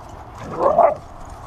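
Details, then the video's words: Siberian Husky singing while playing in the sun on a Sunday; a single short, rising-and-falling voiced yowl of about half a second, mid-pitched with a few harmonics, over faint background hum. "Singing Husky"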